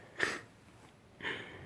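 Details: Pit Bull named Ryder sleeping and snoring indoors: two wheezy, breathy snorts about a second apart, the first sharper and the second a longer hissing exhale, in a quiet room.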